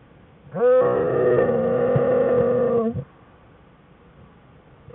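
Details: In a den on January 5, 2013, American black bear cubs Fern and Herbie whine beside Jewel; one sharp-onset, sustained, tonal whine with rich harmonics lasts over two seconds, followed by quiet.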